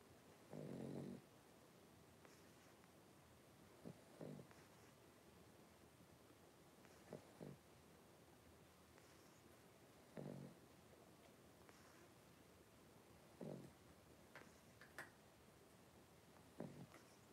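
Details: Three-week-old blenheim Cavalier King Charles Spaniel puppies, a litter of five kept in a home puppy pen; husky low snorting breaths recur irregularly every few seconds, mixed with faint clicks and soft rustling.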